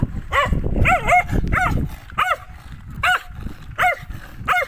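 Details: Dog barking in short arched bursts, about seven sharp barks in under five seconds, each a quick rise and fall, over rumbling low background noise.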